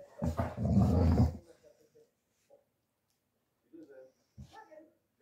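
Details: Young male Dogo Argentino mix in a foster home in Osnabrück, Germany, December 2023, gives a loud, deep rumbling growl lasting about a second, followed by softer scattered grumbles and a person talking quietly.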